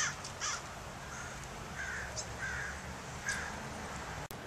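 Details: California ground squirrel uttering several brief, rasping chirps in an uneven series, the calls spaced roughly half a second to a second apart over low rumbling background noise, ending in a sharp click.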